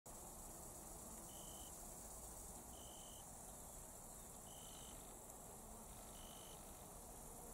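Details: Italian tree crickets (Oecanthus pellucens) in early September, singing atypically by day in a clearing at forest edges in the Raaderwald, give pure trilled "zrü" bursts about every 1.5 seconds over steady hiss.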